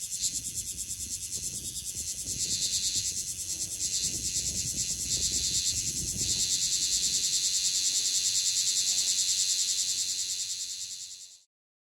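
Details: Bear cicada (Cryptotympana facialis) singing hard at very close range in Okinawa, Japan: a loud, dense, high-pitched buzzing drone pulsing rapidly and steadily, swelling slightly in intensity, then stopping abruptly at the end.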